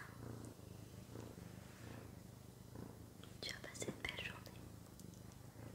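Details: Sakura, a pet cat, purring indoors: a steady low rumbling pulse running underneath soft French whispering, with brief crisp mouth and tapping sounds near the middle.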